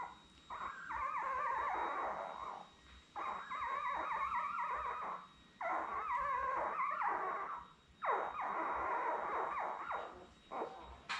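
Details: Week-old Labrador Retriever puppies, seven born May 24, 2021, filmed on a live puppy cam with mother Belle. Long, harsh, insistent crying comes in four sustained bursts of one to two seconds, separated by short quiet gaps.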